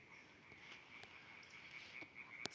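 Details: Distant frog chorus at 9:30 pm in spring near a village garden with ditch and nearby forest, alongside a singing nightingale: steady high trilling drone with faint pulses, a couple of sharp clicks.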